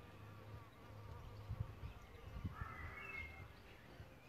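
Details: Low, steady wing drone of solitary bees at their bug hotel nest site, swelling and fading as they move, with a few soft taps and a faint bird whistle near the end.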